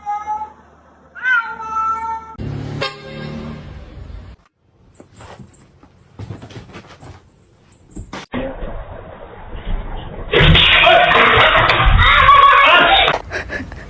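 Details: Domestic cat from a funny cat fails compilation giving a couple of short rising-falling meows at the start, followed by clattering, a bright squeak and a long stretch of loud broadband noise.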